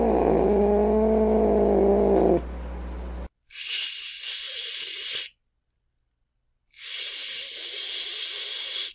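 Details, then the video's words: An angry cat gives a short, low, moaning growl, then two sharp, broad hissing bursts separated by silence, each lasting about two seconds. "Cat Angry Sounds | Cat Snarling, Cat Hissing, Cat Moaning | Angry Cat Sounds"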